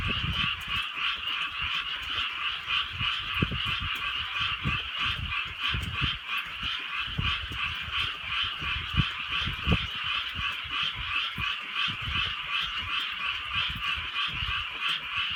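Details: Many frogs croaking together in the countryside at night while light rain falls, a rapid pulsing chorus over irregular low knocks and drips from the rain.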